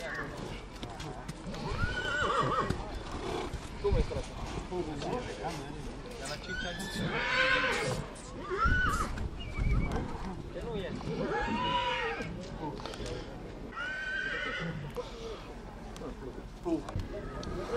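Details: Mare from Satu Mare, Romania, neighing: several loud, wavering whinnies with arched, falling harmonics around the middle and later seconds, mixed with people talking close by and occasional thumps.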